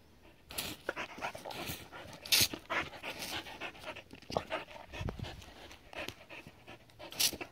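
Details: Border Collie Adaike Polední kámen, a seven-year-old dog, playing with water: irregular bursts of breathy, hissing panting, some sharp and loud, mixed with splashy broadband noise throughout.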